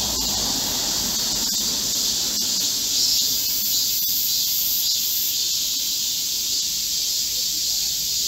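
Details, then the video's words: Korean cicadas singing together in a green forest during the July 2024 heatwave: continuous, intense high buzzing with a faint lower murmur beneath it. "Korean cicadas, a chorus in a midsummer green forest | 한국 매미들의 한여름 초록 숲속의 합창"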